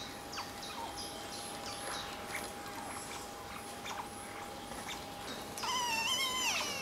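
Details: Playful Asian small-clawed otters on a peaceful afternoon with rocks: rapid, faint, high chirps repeating quickly, then a louder, wavering, harmonic squeal rising and dipping over the last second.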